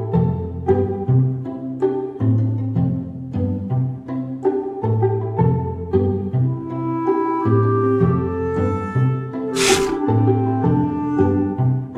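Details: Bowed cello and double bass carry a plucked, rhythmic instrumental piece throughout, with a brief bright swell near the tenth second and no animal voice.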